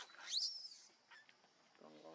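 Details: Baby monkey crying for its mother's milk, giving one loud, shrill, drawn-out squeal that rises and then falls away, followed by a faint low hum at the end.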